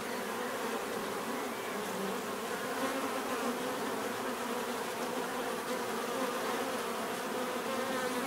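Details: Thick, even drone of a mass of bees buzzing, steady in pitch and loudness for the whole stretch with a faint higher whine running through it; no birds, speech or music.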